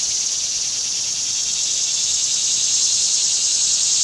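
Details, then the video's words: Cicada chorus in summer, a loud unbroken high whine with rapid pulsing, steady from start to finish and free of other sounds. "Cicada Summer"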